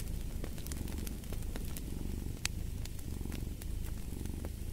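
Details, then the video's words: A cat purring continuously in a deep, low rumble that swells and eases in a slow breathing rhythm, with sharp crackles and pops from a fireplace fire throughout. "Purring of a Cat"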